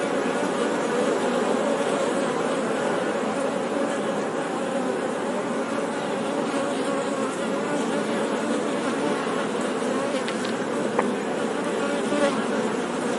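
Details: Continuous honey bee buzzing, a thick even drone of many wingbeats with slight wavering, and a few faint higher ticks toward the end.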